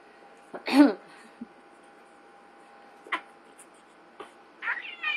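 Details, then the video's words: Cat fight between pet cats Ziggy and Chino; one loud strained meow opens, followed by short scattered cries and a rising wavering meow at the close, with a faint steady hum behind. "Cat Fight! Ziggy VS Chino"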